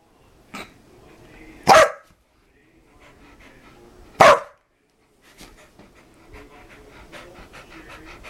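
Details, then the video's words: Dogs at play: two sharp, loud barks about two and a half seconds apart, with softer panting, snuffling and low grumbling noises before, between and after them. "DOGS PLAYING MAKING FUNNY NOISE"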